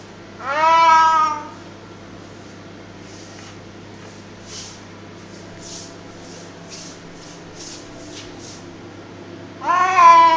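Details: Domestic cat vocalising during a tug-of-war game with a duster inside the home; one wavering meow near the start and another nine seconds later, separated by soft scuffling taps and a low steady hum.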